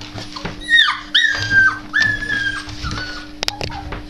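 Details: Husky puppies, part of a litter of fourteen kept with their mothers in Ponikev, Czech Republic, making thin high whimpers that slide downward, several in quick succession, over a steady electrical hum and a person's voice.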